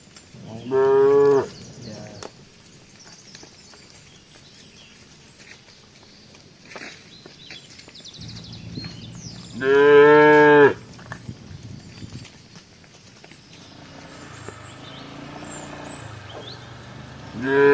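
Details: Tame cows wandering around Embooh village give loud nasal moos, one about a second long, a second after a quiet stretch with a low hum, and a third cut off at the end.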